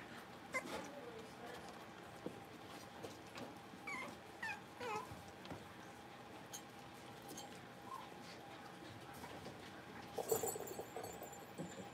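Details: Blenheim Cavalier King Charles Spaniel puppies, a litter of five born at New Year's, playing in an indoor home puppy pen; scattered high, thin whimpers and short yips rise and fall, with soft rustling and a burst of scuffling near the end.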